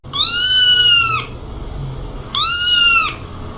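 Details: Domestic cat gives two clear, loud, drawn-out meows, each about a second long, slightly rising then dropping at the end, separated by a short quiet pause.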